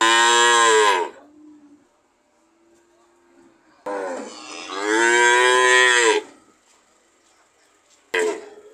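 A cow gives loud, deep moos, one short and one long, with a third just starting.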